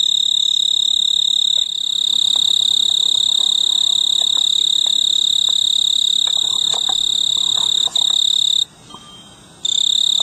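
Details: A male snowy tree cricket sings a high, steady, ringing trill from a large purple clematis bloom on a veranda in mid-August, calling for a mate; the trill stops briefly near the end.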